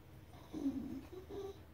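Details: Basenjis crying at squirrels: a soft, wavering low whine of about half a second, then a shorter, slightly higher whine after a brief pause. Faint background hiss of a quiet room.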